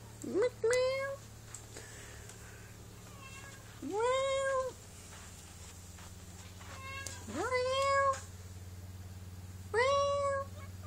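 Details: Domestic cats meowing indoors, one cat held while the two are made to talk to each other; four rising-falling meows spaced about three seconds apart over a steady low hum.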